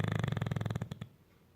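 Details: Bruno, a male English Bulldog napping on the couch, snores with a deep, rattling rumble that trails off after a second.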